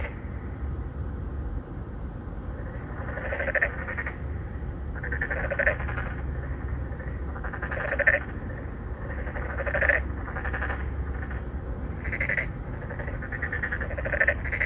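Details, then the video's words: Narrow-mouthed frogs, three to four animals, calling for mates from a pond in a Songdo, Incheon apartment complex, Korea, 2019; rhythmic chorus of short twangy croaks roughly every second, alternating callers, above a faint low hum. "Narrow mouth frog 맹꽁이"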